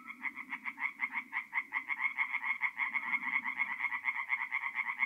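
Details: Tree frogs calling at night in a north-east Italian forest pond in mid-April; rhythmic bursts of harsh, quick croaks rise and fall about twice a second over a soft low murmur.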